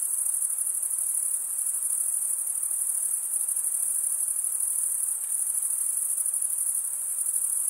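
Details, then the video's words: Crickets chirping through stridulation, the males scraping a serrated wing vein: a high, buzzy, unbroken pulsing trill from many insects at once, even in volume, nothing else audible. "Most relaxing cricket sound for 8 hours"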